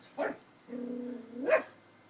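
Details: Pet dog indoors giving a short sharp bark, then a steady drawn-out tonal note held for almost a second, closed by another brief bark; quiet room with no other sounds.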